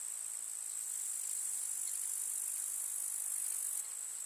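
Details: Summer meadow grasshoppers in the countryside make a steady, hissing, very high-pitched stridulating buzz. It holds even throughout, with a slight drop in the uppermost tones near the end.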